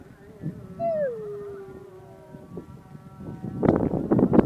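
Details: Dog howling during the call to prayer: one drawn-out tone that starts high, slides down and trails off over about a second, set against a faint sung call, followed by loud rustling and knocking noise.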